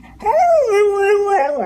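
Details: Dog making a funny, talking-like noise: one drawn-out tonal moan that rises, then holds steady and level for most of a second before bending at the end, with clear stacked harmonics.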